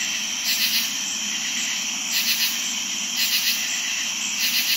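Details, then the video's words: Night-time crickets singing fairly loudly alongside katydids in summer. An unbroken high cricket trill carries underneath, and four rasping, double-pulsed katydid bursts cut in at uneven intervals. "More cricket sounds and katydid sounds at night"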